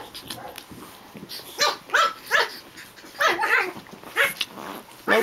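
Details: Playing Japanese Chin puppies, among them Hestia, Asti and Fizzie, give sharp high barks and yelps in scattered pairs, while a person repeatedly says no over the play.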